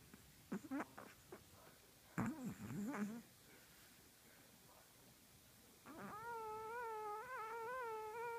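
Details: Sleeping Chihuahua in a dream, letting out a few muffled yips and snuffling squeaks, then a drawn-out, wavering nasal whine lasting over two seconds, indoors and otherwise quiet.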